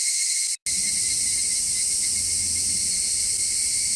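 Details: A steady, high, sizzling drone of cicadas after equalizer cleanup removed distant car noise. The buzz is unbroken apart from a brief cut near the start.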